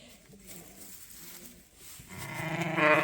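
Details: Sheep in a pen at Ewetopia Farms, where a ewe and her newly tagged twin lambs are kept; quiet barn murmur, then one loud, wavering bleat rising at the end.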